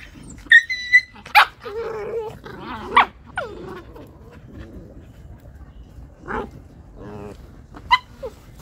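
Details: A big dog disciplining aggressive stray puppies fighting over a slipper: sharp barks, high whining yelps and growly harmonic snarls in bursts, loudest around the start and again near six and eight seconds, over a quiet background.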